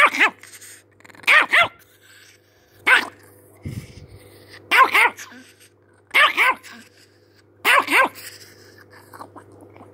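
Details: Agitated chihuahua firing off paired shrill yaps in quick succession, about six bursts in ten seconds, over a low continuous hum.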